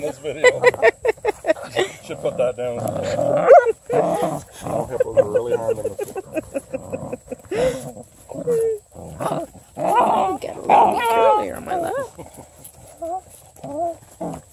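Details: A pack of female Redbone Coonhound puppies wrestling a blue toy hippo: rapid staccato growling and yapping that swells and fades through the scuffle, with constant human talk and laughter alongside.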